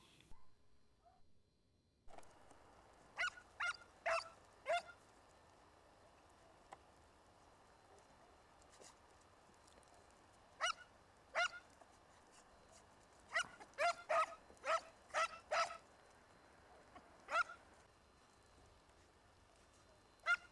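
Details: Segugio Italiano hounds hunting hare among Italian vineyards: scattered, sharp baying yelps, single and in short bursts of three or four, separated by quiet stretches of outdoor background.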